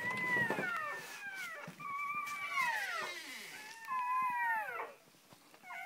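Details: Whimpering around Shoobie, a mother dog whose first three puppies were just born: several sliding cries that start high and drop steeply, repeated in quick succession over a quiet, hissy room.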